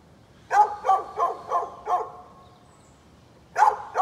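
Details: Neighbor's dog, 13 November 2020, giving a run of five rhythmic barks roughly every third of a second, then a silent gap of over a second before two more barks resume.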